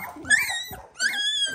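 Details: Two short, sharp yelps from 18-day-old Dalmatian puppies in an unfamiliar new pen that smells and looks different, each a bright rising squeak lasting under half a second.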